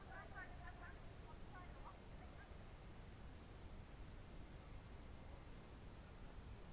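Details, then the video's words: Crickets in the Novgorod region of Russia, Novye Buregi tract, on a June 2023 evening: a steady high pulsed trill, opened by a quick series of faint repeated bird chirps, over low rumble. "Звуки природы , сверчки, июнь 23г."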